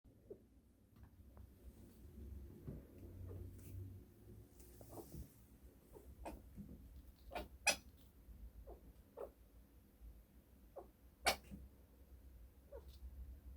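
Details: A pet chinchilla indoors suddenly hiccups in the morning with brief, sharp clicking sounds, several seconds apart at irregular intervals.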